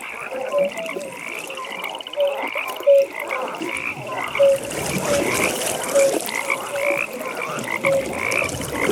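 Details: Frogs calling at a pond at night: short, low, clear croaking notes repeat about once a second over a steady higher chorus of pulsed, trilling calls, with faint splashing in the background.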